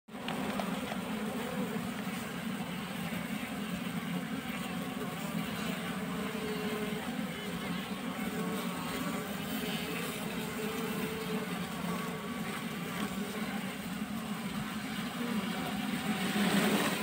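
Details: Honey bee swarm being scooped up by hand: a dense, steady, low droning hum of many wings, unbroken for the whole stretch, with a faint hiss above and slight swelling near the end.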